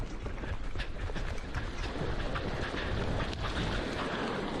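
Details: Continuous roaring broadband noise, like strong wind or surf, with no distinct calls standing out.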